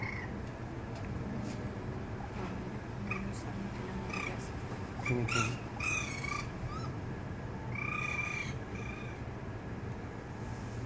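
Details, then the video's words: Raccoon young that want to go with their departing mother, one later falling from the second floor. Scattered high, wavering mews and chirps, several grouped in short bursts, with human speech nearby. "La mamá Mapache sale y su cría al querer salir se cae del segundo piso"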